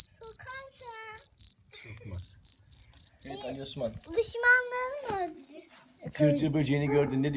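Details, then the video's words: Cricket giving loud, high, evenly spaced chirps roughly four per second, later partly covered by children and adults talking over the steady pulsing. "CIRCIR BÖCEĞİ'nin sesi neresinden çıkıyor?"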